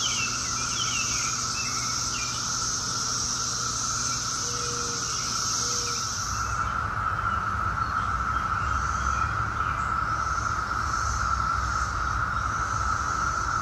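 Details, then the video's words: Brood X 17-year periodical cicadas in a daytime chorus at Chantilly, Virginia, in the Washington, D.C., area, 2021: a steady mid-pitched drone with a higher hissing band that cuts out after about six seconds, and faint chirps behind. "2021 Brood X cicadas"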